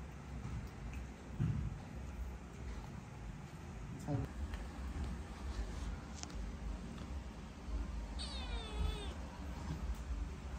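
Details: Cambodian cat resisting a vitamin dose and trying to escape; after soft human coaxing and handling noises, one loud, bending meow rises then falls near the end, over low room hum.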